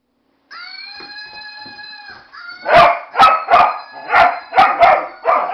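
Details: Dog barking at a Flying Monkey toy it disapproves of: the toy's steady, high whistling screech runs first, then the dog answers with a burst of about seven sharp, loud barks in quick, uneven succession.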